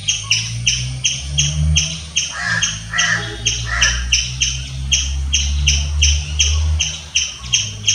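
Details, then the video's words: Loud, evenly spaced squirrel chirps, high and sharp, about three each second, with a few coarse lower notes and a steady low rumble underneath. "Squirrel chirping sounds. Loud squirrel noise."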